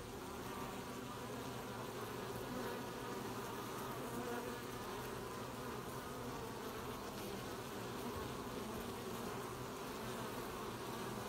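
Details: Swarm-like chorus of honey bees collecting honey near the hive on 20 July 2020, a constant thick buzzing hum holding steady for the full length without pauses.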